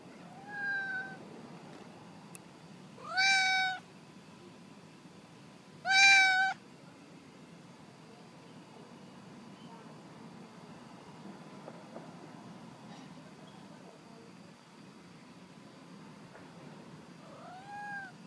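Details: Alley cat meowing several times with long gaps: a soft opening meow, then two loud, rising-then-falling wails close together, and a final quieter meow after a long silence, over faint background hiss.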